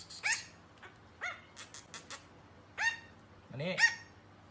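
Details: Chihuahua barking in a compilation of funny pet moments: sharp, high yips that drop quickly in pitch, given in irregular bursts about a second apart, with faint clicking and rustling between the barks.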